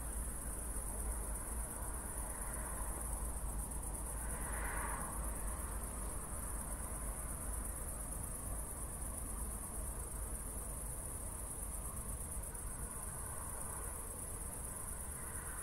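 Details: Crickets sing through the night after a thunderstorm in Zwettl, Austria. Their high, evenly pulsed chirping holds steady over a heavy low hum, and a brief softer mid-pitched swell rises near the fifth second.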